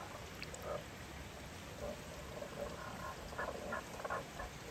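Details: Japanese common toads, two found in a valley in Nakahechi, Tanabe, Wakayama in spring as spawning begins, give brief, hollow croaks singly, then a quicker cluster of soft clucks, over a constant rain-like hiss.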